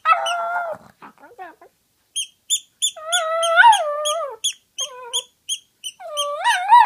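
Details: Howling toy poodle, a house pet that enjoys it, produces wavering, quavering yowls with rising and falling inflections, broken by short gaps, while steady bright clicking beeps repeat in the background.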